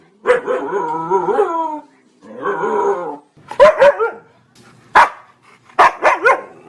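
A Siberian Husky gives long, wavering, talkative whines followed by short, sharp barks.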